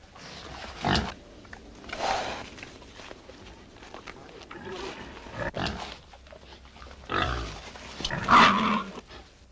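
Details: Wild boar boar and domestic sow in heat mating; loud, harsh, rasping grunts in separate bursts about every one to two seconds, the strongest near the end.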